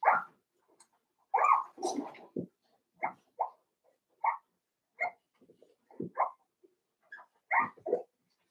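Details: Five-week-old Cavalier King Charles Spaniel puppies in Daisy's puppy pen, giving a steady run of short, high yelps and whiny barks, one after another with brief gaps, several overlapping in quick pairs.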